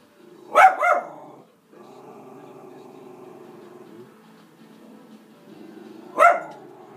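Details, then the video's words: Schnauzer named Madison barks at animals shown on television: a quick double bark opens, then a steady low hum of TV sound for several seconds, and one more sharp bark near the end. "Schnauzer Barks at Animals on TV"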